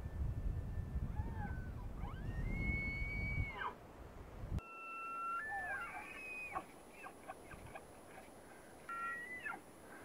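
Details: Rutting tule elk at Point Reyes National Seashore give two whistled bugles. Each climbs to a high, held shriek and then drops away. The second ends in a run of sharp chuckles, with a short whistle near the end over steady wind.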